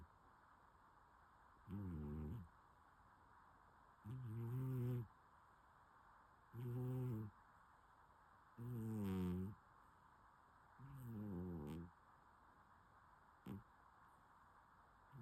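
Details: Sleeping domestic cat snoring: low, harmonic, rasping breaths in five even bursts roughly every two and a half seconds, each lasting under a second, with a short faint puff near the end; quiet room hiss between breaths.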